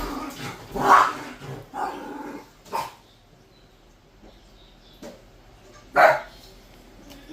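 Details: Two puppies go wild with barking, sharp, high barks in scattered bursts with quieter yips and growls between; Pomeranian.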